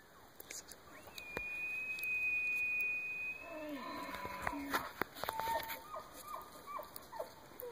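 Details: A bull elk bugles in the Wasatch with a long, high, steady whistle, then drops into lower tones and short grunts, as several bulls come in.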